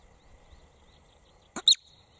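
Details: Screaming marmot giving a single two-part cry: a brief soft burst, then a sharp, intense high shriek, preceded by more than a second of faint outdoor background.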